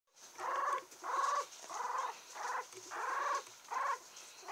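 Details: A 17-day-old female Yorkshire Terrier puppy, steel blue and tan, from Kochi, born 20 November 2014 and recorded 7 December, gives a run of high, tonal squealing whimpers in quick succession.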